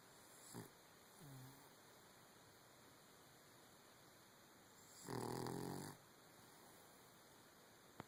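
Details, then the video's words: Dog asleep in bed with paws crossed, snoring: a faint short snort near the start, then one loud rasping, buzzy snore of under a second about five seconds in, otherwise a quiet room with a click at the end. "Paws crossed and snoring in bed."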